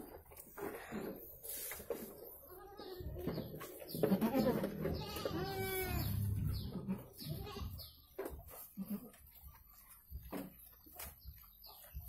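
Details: Goat during the birth of two kids, letting out a drawn, quavering bleat midway, surrounded by low background rumble, scattered clicks and thin high chirping.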